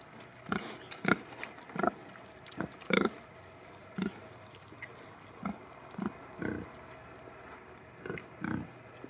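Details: Farm pigs, Sattelschwein and Bentheimer Landschwein breeds, giving a run of brief, punchy grunts in irregular clusters, some doubled, over a low constant hum.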